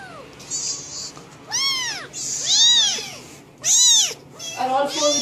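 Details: An angry domestic cat lets out loud, arched meows in quick succession, several strongly curved rising-falling cries, ending in a lower, wavering yowl.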